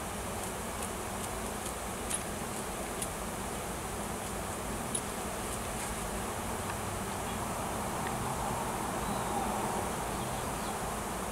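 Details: Swarm of wild honey bees with a new queen at a farm tree in Washington, searching for a new nest; continuous low droning hum, with a few faint clicks and a slight swell in the final seconds.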